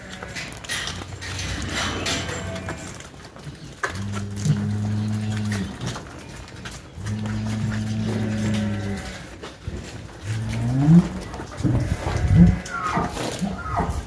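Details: Cattle in El Salvador, Gyr cows and Holstein-Jersey crossbred cows close to calving, lowing in three long, steady, deep moos of about two seconds each, separated by short pauses, with faint clattering and background noise.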